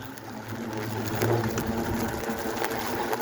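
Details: Asian hornets, a very large colony of about 3-4,000 or more, buzzing in their nest; a dense, steady low hum with broad rustling noise throughout and a faint human voice.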